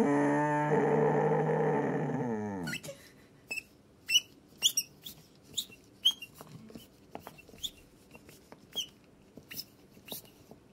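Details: A male Samoyed puppy, prompted by a pizza toy, howls for the first time: a sustained, rich-toned awoo that drops away at the end, then sharp squeaks.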